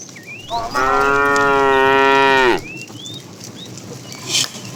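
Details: Calf in a herd of cattle being herded in the morning while searching for food; one long, steady, harmonic moo lasting nearly two seconds, ending with a downward slide, with faint bird chirps before and after.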